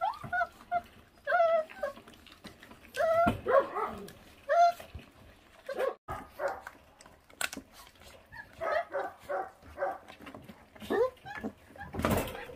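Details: Feral dog puppy, neglected by its mother, given jerky treats; repeated short whines and whimpers in uneven bursts, interrupted by sharp knocks and a person's voice.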